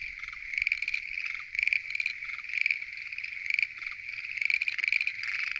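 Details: Night chorus of Schlegel's green tree frogs at a lotus pond. Dense, trilling, pulsed croaks overlap continuously, swelling into louder bursts about once a second.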